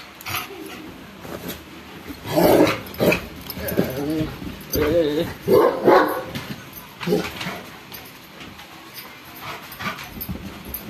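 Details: A Rottweiler gives a string of short, gruff barks and whiny yelps while attacking his owner, with the person's voice mixed in.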